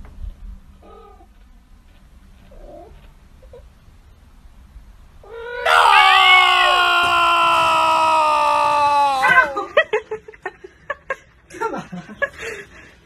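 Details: Domestic cat in a funny pet compilation giving one long, loud, steady yowl lasting about four seconds, rich in overtones and slightly wavering, then a run of sharp clicking and knocking noises; faint indistinct sounds before it.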